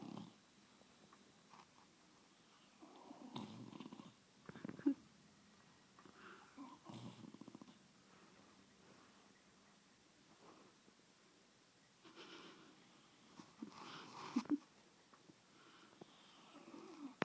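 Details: An English bulldog snuggled on a bed snores in rough, rumbling breaths with pauses in between.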